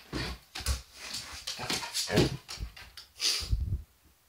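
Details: Pet Border Collie indoors, agitated and barking at sunlight and shadows on a wall: a rapid, irregular run of about nine short barks mixed with whiny yelps over four seconds, then stopping. A person speaks to the dog just before.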